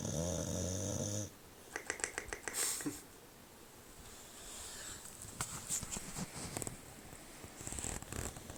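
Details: A male English Bulldog gives a deep, rattling snore, loud enough to wake his owner, followed by soft clicks and rustling.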